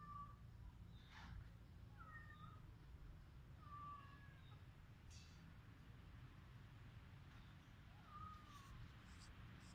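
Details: Domestic cat in rural Cambodia, filmed on a Samsung mobile phone: brief thin meows repeated every couple of seconds, with clicks and a low droning background throughout.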